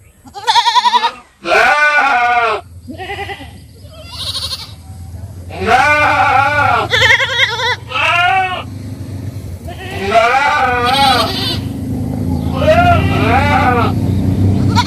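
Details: Goats bleating repeatedly in quick, overlapping wavering cries, followed by a rising steady low hum and noise that grows under the later calls.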